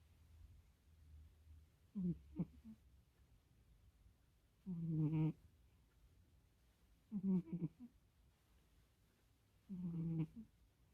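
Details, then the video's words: Pet cat Kkomi sleeping at someone's feet at bedtime, snoring loudly indoors: four deep, rasping, throaty breaths, each about half a second to a second long, spaced about two and a half seconds apart, with a faint low hum between them. "고양이 코고는 소리 들어 보실래요?"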